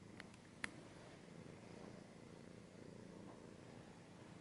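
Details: Cat purring quietly as a low hum, with a few sharp clicks or scratches near the start, recorded close in ASMR style.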